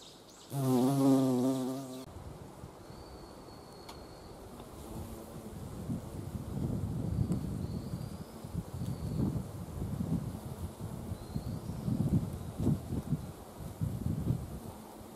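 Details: Carpenter bee gathering nectar at flowering wisteria, mid-April to early May; a loud close pass of deep wavering buzz at the start, followed by wind rumble and faint thin whistled bird notes in the distance.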